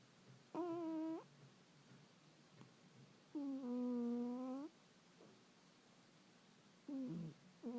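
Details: Snoring cat inside a quiet room, giving tonal, whistling nasal breaths about a second long, the pitch sagging slightly, returning roughly every three seconds, with faint clicks between breaths.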